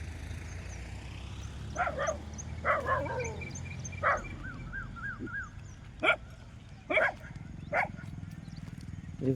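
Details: Street dogs barking while driving off wild boars: scattered sharp barks, some in quick pairs, spread across the stretch, with a low rumble of background hum throughout.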